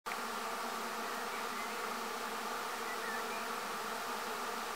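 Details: Swarm of over 15,000 bees gathered on a tree, producing a dense, steady buzzing hum that fills the whole stretch without a break.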